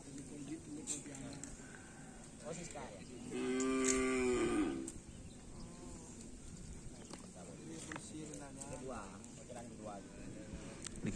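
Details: Cattle at karapan sapi bull race training on the Asemanis field, teams Konduk Alas Predator and Korban Perasaan: one steady, drawn-out moo of about one and a half seconds with strong harmonics, rising over background crowd voices.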